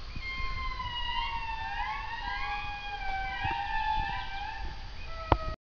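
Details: Indri (Indri indri) singing loudly in the forest, long wailing tones gliding up and down with several voices overlapping like sirens.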